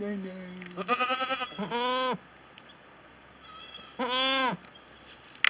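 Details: Goat giving two loud, quavering nasal bleats, each under a second long, after a short low tone at the start, with a quiet pause between calls.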